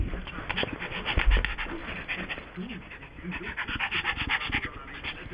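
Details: Yorkshire Terrier, a pet dog, worked up after its new squeaking toy pig was taken away; rough growly barks and panting-like bursts repeat through the clip, with some voices and laughter in a room.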